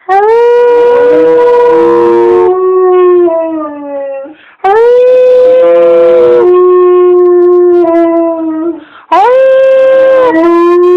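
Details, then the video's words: Three successive howls from a dog urged on by its owner, roughly every four to five seconds; each begins with a bright rising burst, then holds a long, gradually descending wail. "Making my dog howl"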